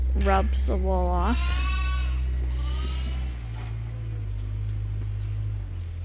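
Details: Bottle-fed lambs at Ewetopia Farms, still nursing on their mothers but topped up from a hand-made bottle feeder twice a day; a quick burst of two or three wavering, harmonic bleats opens, then only a steady low machine hum remains.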